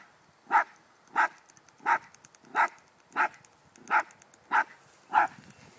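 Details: Dog outdoors barking at a baby groundhog it does not know what to do with: eight sharp, mid-pitched single barks evenly spaced about two-thirds of a second apart, with a quiet background.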